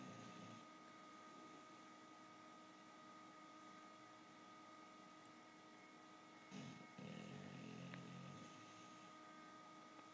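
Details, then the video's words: Sleeping bulldog named Max gives a short snore at the start, then after a long quiet pause one drawn-out, gravelly, vibrating snore of about two seconds; a faint constant hum runs throughout. "Max, the Snoring bulldog"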